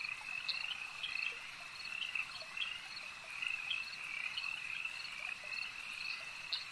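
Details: Frogs calling at a lake: a dense, unbroken chorus of high, trilling croaks from many overlapping callers, with brief brighter chirps rising above the steady drone.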